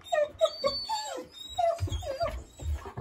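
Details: East European Shepherd puppies barking at a husky; a rapid series of high, slightly falling yips and whiny barks, about six in three seconds, with low thuds of movement beneath.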